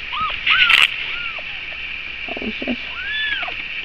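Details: Cat at breakfast time, giving short arched mewing calls, rising then falling, several in quick succession with a longer drawn-out mew near the end; brief human voice and a clatter in the background.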